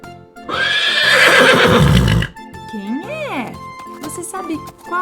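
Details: Horse neighing, played for children to guess on a farm-animal learning programme: a loud, harsh, broad whinny of nearly two seconds, followed by background music and a short gliding voice.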